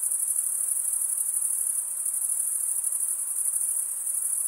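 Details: Shrill cricket stridulation, wing scraped across a comb-like row of teeth, forming a constant very high ringing trill with rapid shimmering pulses throughout.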